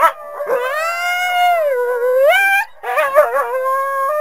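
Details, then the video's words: Coyote with a long sustained howl that dips and then swoops upward, a brief gap, then choppy yipping notes settling into a steady tone. "Coyote Sounds"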